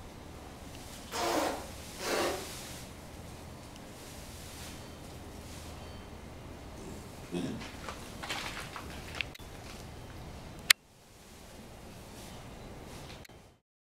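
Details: Rescued chimpanzee at Chimpanzee Sanctuary Northwest, home to seven chimpanzees, greeting: two loud breathy, snort-like bursts early on, then softer huffs and a faint background hum, ending with a sharp click and silence.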